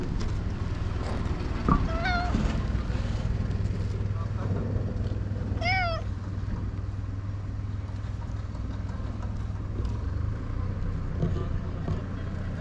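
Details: Stray community cat in Japan meowing twice, a short harmonic meow near two seconds and a louder arched meow near six seconds, over steady low engine hum, wind and occasional human voices.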